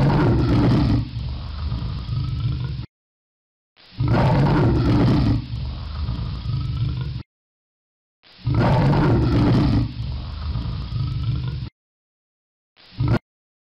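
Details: Leopard roaring: three long, deep, rough roars of about three seconds each, heavy in low tones, separated by silent gaps, ending in a brief clipped fragment.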